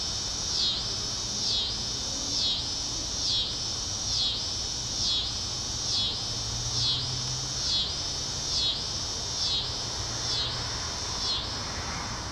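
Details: Tibicen pruinosus cicada in a residential backyard at 8:44 pm on May 28, 2012, one of the year's first; steady shrill buzz rising and falling in rhythmic waves roughly every second, with faint low background rumble.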